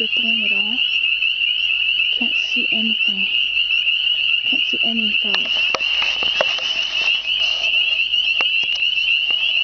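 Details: Hidden frogs sing in spring, a dense unbroken high trill filling the whole recording, with a few short bursts of human speech early on and some clicks later.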